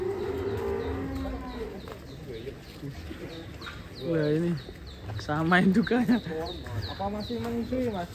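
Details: Cattle in the pen of the giant bull Ken Arok Bimasakti, readied for a DKI contest, with its mother also present; a few drawn-out, wavering moos rise midway amid people talking nearby.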